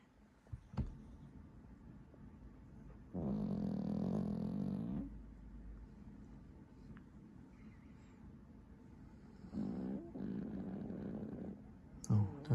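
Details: A sleeping squirrel-type Pomeranian dog snores in two rough, buzzy, low-pitched drawn-out breaths about six seconds apart, with faint clicks and quiet room noise in between.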